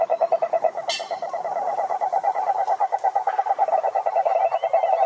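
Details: Chorus of cane toads (sapo cururu) at a Brazilian Atlantic forest lake. Continuous overlapping mid-pitched pulsed trills are heard, with one sudden high-pitched burst early on and faint thin whistles later.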